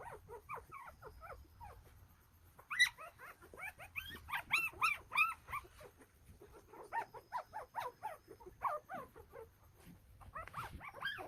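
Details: A litter of nine one-day-old Golden Retriever puppies in Nampyeong-eup, Naju, Korea squeal and whimper in high, wavering bursts, several voices overlapping.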